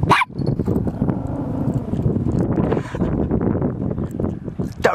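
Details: A domestic dog barks in short bursts while a man talks over it.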